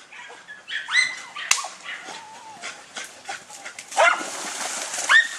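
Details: Dunja, a German Hunting Terrier facing a wild boar, gives loud rising yelps and whining cries between scattered barks, with crashing and rustling noises.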